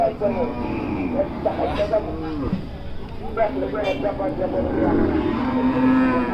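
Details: Large cattle at the Hazratpur cattle market, a drawn-out low moo rising from the busy crowd, with people talking and vehicle noise throughout.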